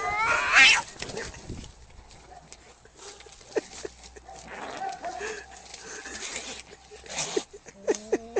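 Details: Angry cat letting out a sharp, loud snarling burst at the start, followed by softer scattered growls and rustling noise, with a short strained whine near the end.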